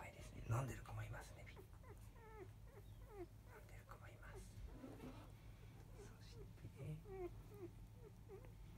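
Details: Five-day-old field-type Labrador Retriever puppies from a litter of Biscuit, the 2017 JFA grand champion, resting indoors just after 3 pm; many faint, short, bent squeaks and whimpers overlap throughout over a steady low room hum.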